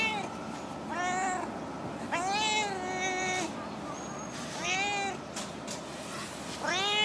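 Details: Female stray cat living in a park car park, known for chattering, gives long bending meows, one stretched over more than a second, with short gaps between calls and faint background noise.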